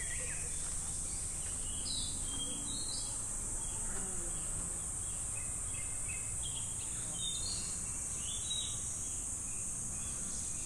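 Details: Cicadas singing in summer at Namegawa Shrine in Sukagawa, Fukushima Prefecture, Japan: a steady, high, hissing drone runs unbroken throughout, with scattered short bird chirps and a low rumble of background noise beneath.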